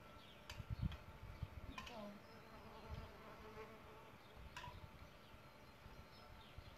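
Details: Solitary bees nesting in a bug hotel: a low, faint buzzing hum runs through the recording, with scattered soft bird chirps and a few brief clicks above it.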